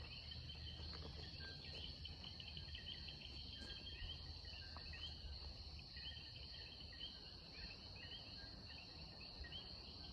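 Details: Common coquis in Puerto Rico call their repeated two-note "co-qui" alongside birds over a steady insect drone, early morning by moonlight before sunrise.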